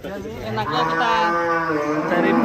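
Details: Farm cattle lowing: a sustained, rich, droning moo that holds one pitch throughout, with people talking faintly in the background.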